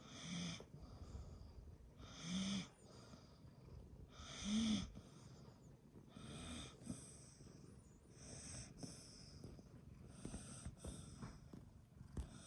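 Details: Dog kept together with a cat, snoring while asleep: loud, raspy, wheezing inhalations about every two seconds, then softer and more irregular breathing toward the end.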